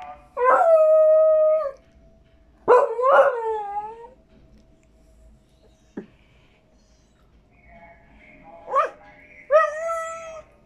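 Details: Dog begging for a tamal, giving drawn-out whining howls: a long level cry, a pair of bent wails, then shorter rising whimpers after a pause; a person's voice is faint between them.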